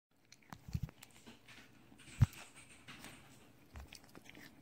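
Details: Nine-year-old pet cat eating oats grown for it at home, recorded close up indoors: crisp crunching bites and chewing, loudest bursts near the start and around two seconds, then softer scattered crunches in a quiet room.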